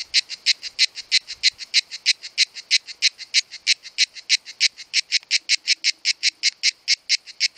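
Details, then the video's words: In July, the mating season, male cicadas sing a loud, high, buzzy song of rapid pulses, about four every second, made by organs called timbals; two cicadas were filmed. "Il canto delle cicale"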